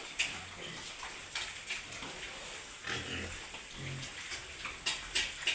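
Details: Domestic pigs in a herd on a pig farm in Wayanad, Kerala: low, short grunts now and then under a steady hiss of farm noise, with sharp knocks and clatter.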